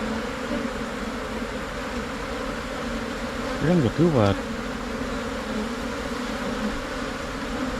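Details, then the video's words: A swarm of Asian honey bees entering a new hive box hums in a low, even drone throughout. About halfway through, a short burst of a man's speech cuts across the buzzing. "การเเยกรัง เเละเข้าอยู่ลังใหม่ ของผึ้งโพรงไทย"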